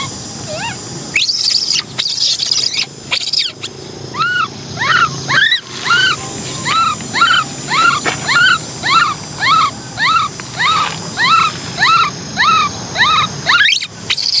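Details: Orphan baby macaque Cola crying for a bike ride: after a few loud clattering bursts, a long run of arching, whining cries repeated about every half second, fairly regular, with a constant low hum underneath.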